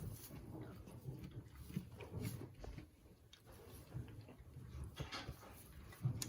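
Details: A male Boer kid on a mid-Missouri commercial meat goat farm nurses from its mother at suppertime, making soft wet lip-smacking and low muffled suckling noises.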